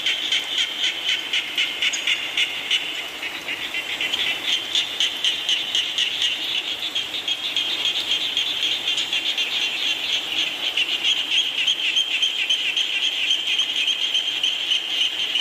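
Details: Frogs calling in falling rain, a dense, unbroken chorus of high, buzzy pulsed trills repeating about four times a second, many callers overlapping over a soft steady hiss.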